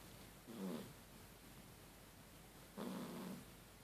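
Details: Sleeping cat snoring like a person: two soft, breathy low snores roughly two seconds apart, with quiet between them.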